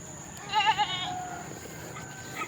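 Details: Pet goat kept by its owners, thought to be pregnant; a single quavering, tremulous bleat lasting about half a second, followed by a fading tail, with low background hum.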